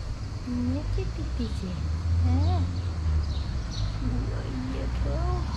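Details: Hungry long-tailed female cat asking for love and food: several short arched meows, rising then falling, spread across a few seconds, over a steady low engine rumble and a woman's voice nearby.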